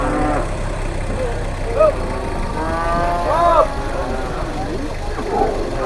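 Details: Cattle arriving by truck at a livestock market in Indonesia, where dealers and brokers compete for them; several drawn-out harmonic moos rise above a steady engine rumble, with people talking nearby.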